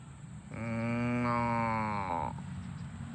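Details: Cow on a farm, among cows running home to the barn: one long, steady, harmonic moo of about two seconds, slightly rising then falling at the end, over faint low rumble.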